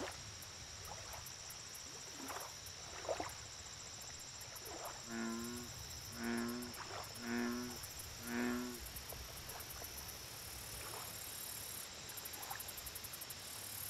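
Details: American bullfrog on a lake: four deep, booming, harmonic croaks roughly one second apart, framed by scattered clicks and sharp taps. Fast high-pitched insect-like pulsing and a steady hiss run throughout.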